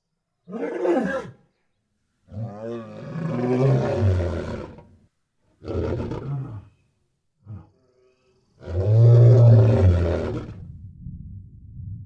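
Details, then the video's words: Lion roaring, said to be in its natural habitat: a series of deep, rumbling roars separated by short silences, the last one loudest and longest, trailing off into a low growl. "Rugido do Leão | Som do Leão"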